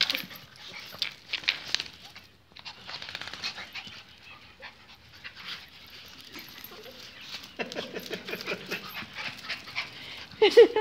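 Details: Several pet pinschers at home, excited and jumping while their leashes are put on for a walk. Brief high whines and whimpers, panting, and a short sharp yelp near the end over busy scratching and clicking of claws, with a man's voice at times.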